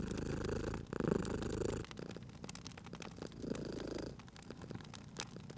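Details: Cat purring beside a crackling fireplace, a short strong rumbling burst at the start followed by fainter purring pulses, with dense crackles and pops of burning wood.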